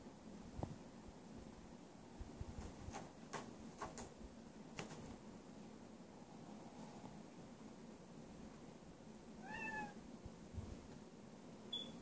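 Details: Domestic cats indoors with a new cat tree sprinkled with catnip, lazy at night; one short meow with a falling, harmonic tone comes near the tenth second over low room hum and a few soft knocks.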